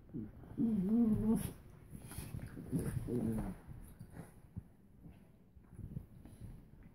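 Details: Two dogs, Suzy the Doberman and Chica the Min-Pin/Terrier, in a playfight: a loud wavering growl near the start, then a shorter second growl, fading into soft scuffles and rustling.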